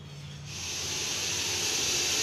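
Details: Captured Russell's viper (kannadi viriyan) in Coimbatore, a highly venomous snake, giving a sustained harsh hiss that rises within half a second and then holds loud and even to the end, broad and airy, over a low background hum.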